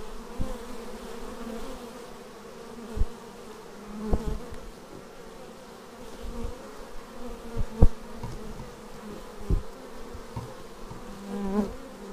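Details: Many bees returning to the beehive, captured on a Xiaomi Yi action camera: an unbroken droning hum under short buzzy swells as individual bees zip past, several sharp close passes scattered across the recording, and soft low thuds.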